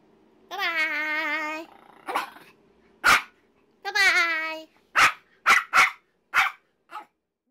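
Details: Pomeranian in Hong Kong during a playful crazy run: a long, wavering, tonal whine, a second shorter whine, then a run of sharp, clipped barks spaced under a second apart, fading toward the end; quiet room.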